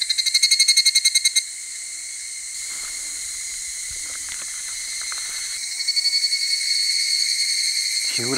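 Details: Many Higurashi (evening cicadas) calling at a shrine near Fukuchiyama, Kyoto, 31 July 2022: bright, rapidly pulsed ringing trills, fading and then returning in overlapping choruses, with light music and a brief voice at the very end.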